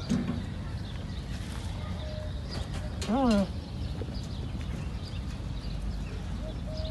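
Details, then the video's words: Young camel calling, its voice described as sad and distinctive: one short descending, harmonic-rich bleat near the middle, over steady low rumbling background noise. "الصوت الحزين والمميز/ صوت صغير الجمل او الناقة"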